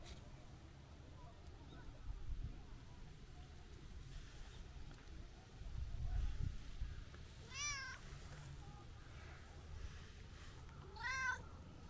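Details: Chatty tabby-and-white outdoor cat visited for New Year greetings. Two separated meows, each bending upward then sliding down, come about three and a half seconds apart amid low rumbling background noise and faint voices.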